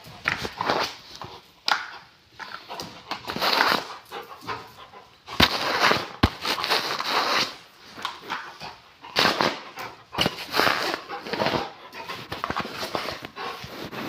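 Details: Rottweiler, described as dangerous, making loud, noisy breathy bursts. The bursts come in uneven clusters every one to two seconds, with short quiet gaps between them.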